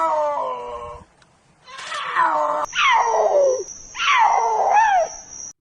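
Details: Cougar (Puma concolor), growl and scream.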